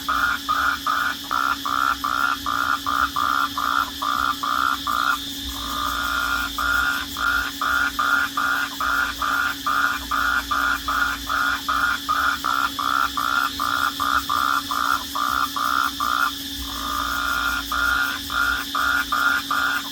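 Crickets chirp at night in steady, rapid pulses over a low, constant hum.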